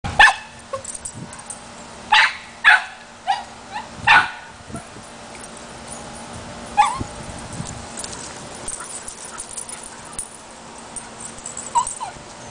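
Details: Pet dog barking at something: a burst of about six sharp, broadband barks in the first four seconds, then scattered quieter yips and soft sounds over a low steady background hum.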